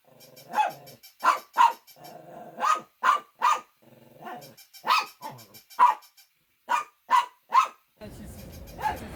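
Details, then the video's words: Shih Tzu barking repeatedly, a dozen clipped, emphatic barks in uneven clusters, with a low rumbling growl under some calls and a burst of background noise in the final second. "Funny Dogs Barking to Make Your Dog Bark"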